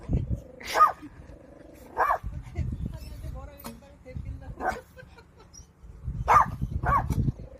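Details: A puppy guarding a child while grandfather farms gives about five short, sharp barks over several seconds, spaced irregularly and mixed with people talking and low rumbling in the background.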